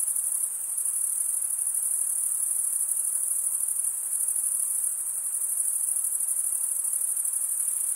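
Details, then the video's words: A dense, even chorus of crickets chirping through stridulation, the wing-scraping sound of males, sustained as a thin high trill with faint rhythmic pulsing and nothing else audible. "cricket sound"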